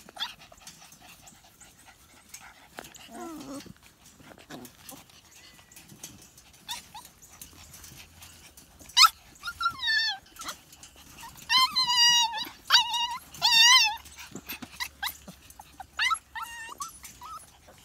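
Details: Seven-week-old Siberian Husky pups whine and whimper in high, quavering, wobbling tones, the calls growing louder and more frequent in the second half, with light shuffling noises throughout.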